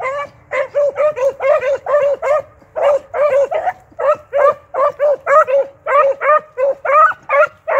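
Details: Hunting beagles, an 8-month-old pup and a finished male, in full cry on a rabbit trail; a continuous run of loud, rapid, ringing barks, several per second, with barely a pause.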